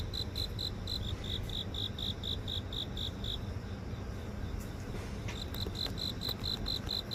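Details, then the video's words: Singing grass insects in a house garden near an office in urban Seoul, phone-recorded: high repeated chirps that stop for over a second then resume, a few faint clicks, and low city noise throughout. "서울 도심속 풀벌레 소리"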